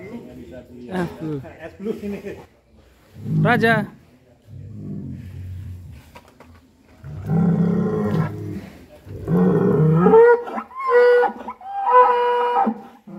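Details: Fat cattle from Indonesia give deep, drawn-out low moos, one brief near the start and a longer, heavier bellow in the middle, while men talk in Indonesian between and over the calls.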